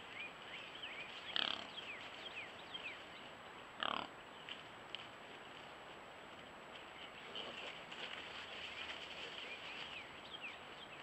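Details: Wild pigs from the year's first litter of piglets: two sharp, loud squealing bursts near the start, then quieter scattered squeaks, over a steady hiss and faint high chirping in the background.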